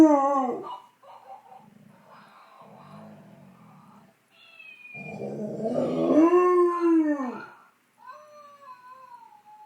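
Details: A 10-month-old fox red Labrador Retriever puppy, talking back to an animal toy, gives a falling howl ending. Rough, low toy noises follow. A second arching howl rises and then sweeps down, and a brief higher toy tone closes.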